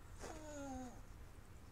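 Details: Pet dog whining in a backyard as a cat stalks birds: one thin, nasal whine lasting under a second that slides slightly downward, over a low background hum.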